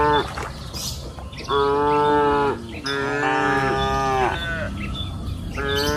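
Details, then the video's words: Grazing cows on a green pasture hill in the afternoon. Several moos follow closely, one long drawn-out call with a wavering pitch, and faint bird chirps are audible. "Sound of cows mooing up the green pasture hill in the afternoon"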